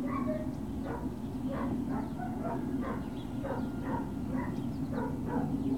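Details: Yapping Great Dane puppies at Puppy Hill, 21 March 2019: rapid chains of clipped high barks and squeaky yelps, several tiny voices overlapping, with a steady low hum underneath.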